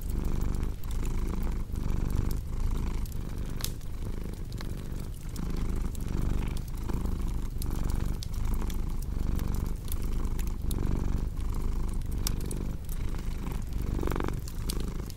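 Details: Cat's deep, rumbling purr rising and falling in regular breath cycles under a second long, with a cozy fireplace crackling and popping throughout.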